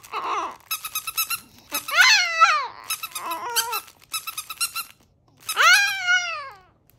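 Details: Chihuahua singing a howled tune: drawn-out, arching howls that bend up and then sag down. They are interleaved with stuttering pulsed bursts. There are brief pauses between phrases in a quiet indoor setting.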